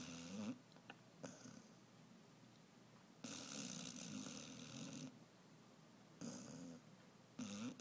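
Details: An 11-month-old Basset Hound, sleeping on a tote bag, snores in rough, rattling breaths that swell and fade in a slow, uneven rhythm.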